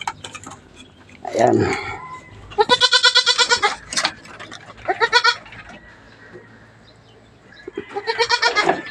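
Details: Backyard-farm goats being given vitamins and dewormer because some are thin: three quavering, harmonic bleats at intervals, the middle one long and trembling, with a man's voice briefly at the start.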